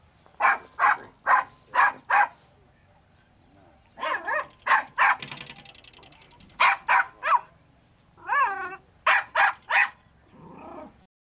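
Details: A Jack Russell terrier barks in quick, sharp bursts, with a few whining yelps mixed in, while working an artificial earth den during a terrier trial.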